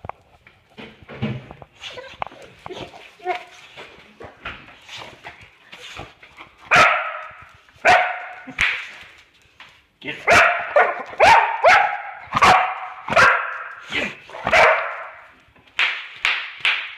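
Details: Mia, a Boxer dog, reacting to bubble wrap she hates: sharp popping snaps mixed with her short harsh barks and whines, bursts growing louder and more frequent in the second half, with some human voices early on.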